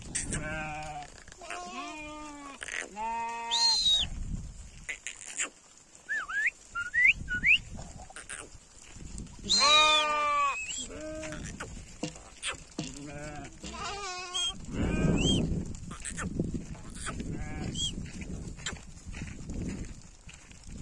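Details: Sheep bleating while going home in a village setting, several harmonic wavering bleats in bursts near the start and around ten and fourteen seconds, with a few higher calls, some speech and rustling between them.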